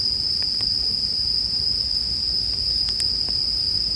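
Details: Bell cricket chorus beside a crackling bonfire, made for sleep: an unbroken shrill ringing at one high pitch, with a few sharp wood snaps and a low rumble of flames underneath.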